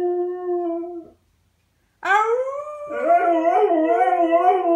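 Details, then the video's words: Howling from the dog Pinto: a steady held tone fades out, then after a second of silence a loud howl bursts in, rising and wavering with a trembling, vibrato-like quality. "Pinto howling"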